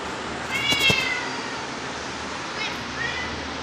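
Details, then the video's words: A grass-eating cat recorded on 2 September 2023 at 19:05 gives one short, clear, high meow with bright stacked overtones, then a fainter second meow near the end over steady background hiss. "grass eater Cats"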